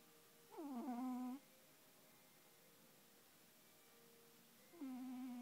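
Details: Snoring, sleeping cat producing two drawn-out, nasal, whistly tones, the first sliding down and then holding steady, spaced about four seconds apart against a quiet indoor background.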